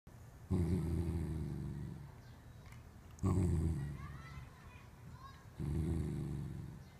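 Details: Corgi guarding something with its face wrinkled up, giving low, rumbling growls in three long bursts, each about one and a half seconds, separated by quieter pauses.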